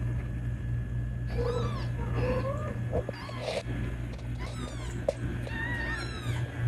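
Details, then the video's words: Kitten meowing to call its mother, who came to claim it; several short, wavering meows, some rising then falling, closely spaced over a few seconds above a steady low electrical hum. "Kittens Meowing To Call Mom"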